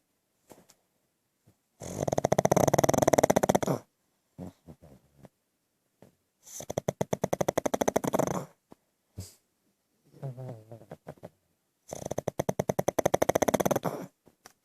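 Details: Pug asleep and snoring, with three long, loud rattling inhalations of about two seconds each, roughly every five seconds. Quieter snuffling and a soft whistling wheeze fill the gaps between them.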